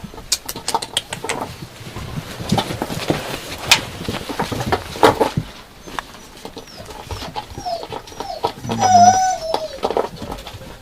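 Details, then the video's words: Yakutian Laika puppies: a thin, high whine rises and wavers near the end, with fainter squeaky whimpers around it, after several seconds of clicking, rustling and scratching sounds. "Щенки якутской лайки . Yakutian Laika puppies."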